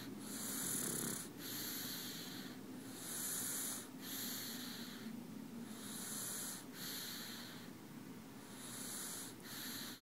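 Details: Male pug asleep in a person's arms, snoring in soft, breathy, wheezing rasps that swell and fade roughly every two to three seconds.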